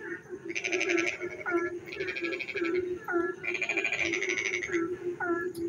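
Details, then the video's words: Night frog song during rain near a village: several rasping pulsed bursts, each under a second, alternating with quick rising chirps, against a steady humming backdrop of distant frogs. "frog singing in the dark night when it rains"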